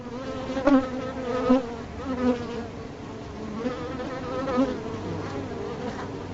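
A bee's steady, low buzzing drone that wavers slightly in pitch and swells in loudness.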